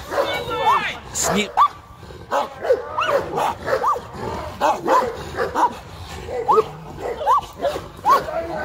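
A Caucasian Shepherd Dog gives short, arching whines and yips while a person speaks nearby.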